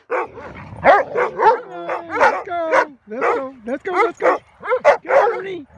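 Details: Neutered male German Shepherd, about five years old, rough-housing with a few other dogs in early morning light at a rescue ranch; rapid barks and yips with some whining, repeated several times a second, a person speaking.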